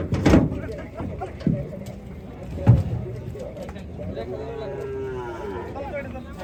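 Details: Gaiya cattle, described as among the biggest cows, being unloaded at a cattle farm. Low, rough lowing with stacked harmonics, then a long drawn moo that rises and falls. Loud bangs and thuds from the unloading, plus faint voices.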